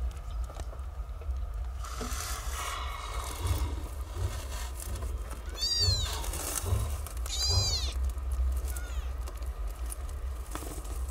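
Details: Newly born stray kittens, nine in all, suckle at their mother in a sheltered cat house; two clear, high-pitched arching mews sound about a second and a half apart against a constant low background hum.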